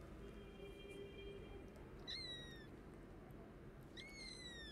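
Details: Hungry orphan kittens, sick and found without their mother, crying for food: two high, thin meows, each sliding downward with bright overtones, about two seconds apart, over a steady low background hum.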